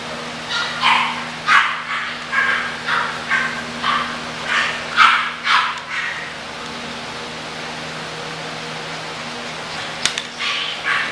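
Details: English bulldog puppies let out a rapid run of about ten yapping barks, roughly two per second, then fall quiet; a single sharp click follows near the end.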